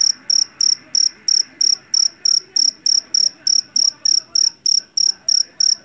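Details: Javan field cricket, jangkrik jeliteng caught in a rice field, loud shrill chirps repeated about three times a second, each a bright high pulse train, steady throughout with faint low background murmur.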